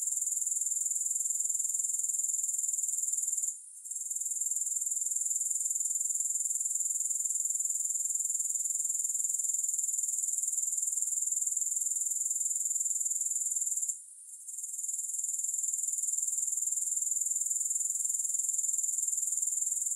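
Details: Continuous high-pitched grasshopper trilling with no music, rapid even pulses about four per second, interrupted twice by brief sudden drops in volume before resuming at full strength.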